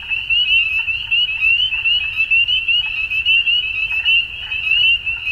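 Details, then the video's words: Chorus of frogs at dusk: a constant shrill wall of overlapping upward-sweeping chirps that swells and dips in loudness about once a second. "Frogs At Dusk"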